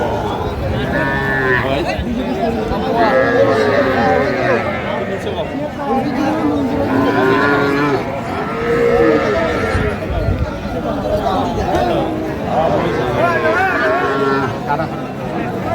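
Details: Small bull and heifer calves for sale at a cattle market in Noakhali, Bangladesh, on 30 March 2025, giving several brief arched moos among steady crowd chatter and men bargaining nearby.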